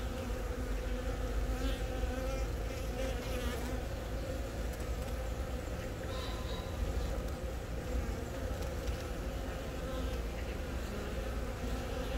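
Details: Honey bee colony in Yongin Baegam on April 20, where a queen born from the year's first natural swarm has begun laying eggs, filmed on a Galaxy Note10; a steady, dense wing hum with low droning tones runs throughout, unbroken.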